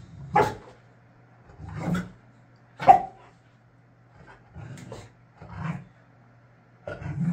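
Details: Boxer dog Layla in a tantrum, wanting something she cannot have: loud barks roughly every second or two, alternating with low throaty grumbles, indoors.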